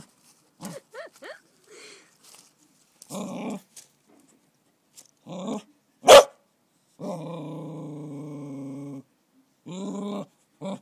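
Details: A female cocker spaniel puppy, scared on her first encounter with a caterpillar in summer, gives high yips, short barks and drawn-out whining growls.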